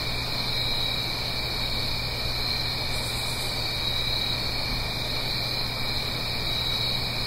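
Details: A steady chorus of crickets on an autumn night in the Blue Ridge Mountains, uphill from a gentle stream, forms an unbroken, high, shimmering trill over a faint low hum.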